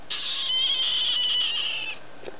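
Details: Duck-a-roo, a pet female kitten, screams and talks at her owner indoors in the evening while the TV is on. One long, high, steady cry holds for nearly two seconds, then a faint click follows.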